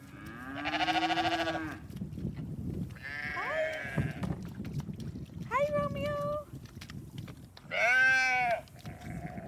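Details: Hungry young ram lamb among a flock with seven lambs, bleating while sheep get hay; four loud wavering harmonic bleats spaced about two seconds apart, with a person talking quietly and rustling in the background.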